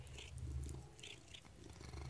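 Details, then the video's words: Female pet Maine coon eating treats indoors, a steady low purr running throughout with three short, bright chirps near the start and middle, her owner's voice coming just before. "the maine coon has some treats and chirps!"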